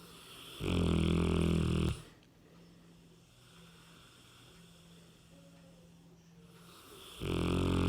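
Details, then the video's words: Rem, a 60 kg Cane Corso, sleeping soundly and snoring: two loud, rasping, harmonic snores of about a second each, separated by a long quiet stretch of soft breathing. "Собака породы Кане-Корсо храпит!"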